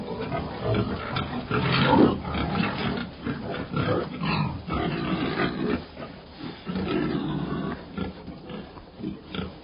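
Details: Pig squealing and grunting in harsh, dense bursts over low rumbling grunts. The sound runs almost without pause for ten seconds and is loudest near the two-second mark.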